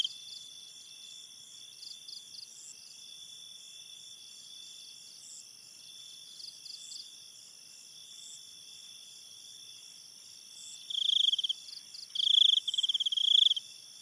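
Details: A night forest by a river: a dense cricket chorus holds steady, high-pitched ringing tones, then a nearer cricket breaks in with loud, rapid pulsed trills in short bursts near the end.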